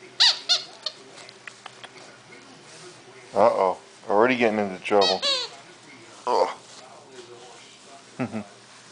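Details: Reilly, a 9-week-old Wire Fox Terrier pup from a champion AKC bloodline, on his first day in a new Florida home, gives squeaky, harmonic-rich yelps and whines in short bursts while being handled, with a man talking to him throughout.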